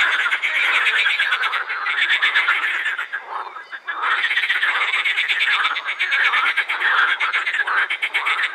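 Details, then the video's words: A dense chorus of edible frogs at the Krebsenwasser pond in Vienna's Prater, rattling, quacking croaks overlapping without pause as the frogs call with their vocal sacs. "Teichfroschkonzert am Krebsenwasser"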